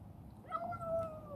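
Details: A rescued female black cat named Chibikuro, once a stray and now grown affectionate, kept in a warehouse and fed; one drawn-out meow with a brief rise then a long, slowly falling tone, with low room hum behind.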